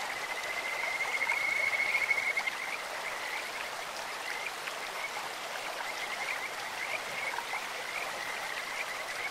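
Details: Kajika frog calling from a clear stream, one loud, bird-like pulsed trill early on, then softer scattered trills, all set against continuous rushing water.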